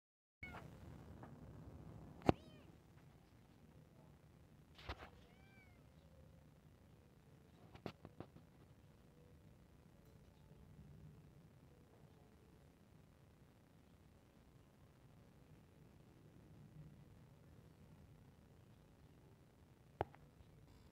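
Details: Kitten meowing while playing: a few short, high, down-curving meows near the fifth and eighth seconds, separated by long quiet stretches with occasional sharp clicks and knocks over a low background hum.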